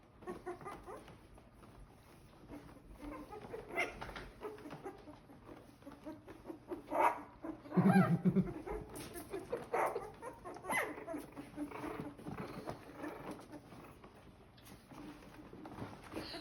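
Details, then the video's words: Corgi puppies, born on May 2nd and just starting to bark, give short rough yips and barks clustered in the middle of the recording, with quieter scattered yaps before and after, over rustling and soft background sounds. "Corgi Puppies Learning To Bark"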